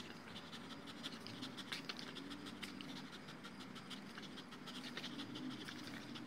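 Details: Tired two-year-old male Dogo Argentino after a tug-toy session on a ground-anchored Tether Tug, breathing in fast, even pants with short breathy bursts repeating several times a second, over a faint background hum.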